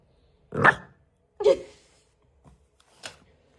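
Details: An angry Golden Retriever puppy gives two sharp, rough barks, then a couple of softer yaps.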